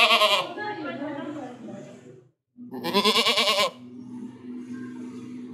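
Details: Goat bleating twice, each call a loud, wobbling nasal cry lasting under a second, separated by a brief pause, with softer fading trills after each.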